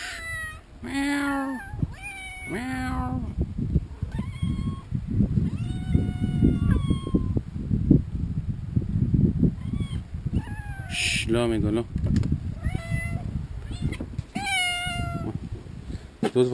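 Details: Group of farm cats meowing during a feeding frenzy, always hungry; many overlapping meows, some wavering and strained, repeated throughout over a steady low rumble of movement.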